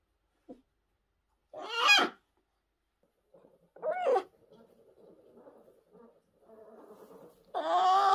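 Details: Tiny, fragile orphaned brown bear cubs, one of ten rescued in 2023 by the Orphan Bear Rescue Centre. Separate loud rising squalls stand out between soft, low murmuring, and a final drawn-out harmonic cry.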